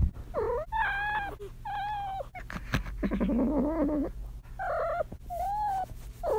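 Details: Kitten in heat trilling: bright chirrups with stacked harmonics, repeated every second or so, plus one longer wavering, rolling trill in the middle; soft clicks and handling noises between calls.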